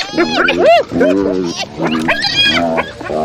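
A hyena gives strange, tonal calls that swoop up and down in pitch, with nasal, squealing overtones.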